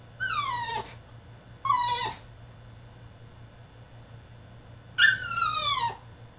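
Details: Caged French Bulldog in a tantrum, giving three drawn-out high whines, each sliding downward and lasting under a second, separated by pauses, against a low electrical hum.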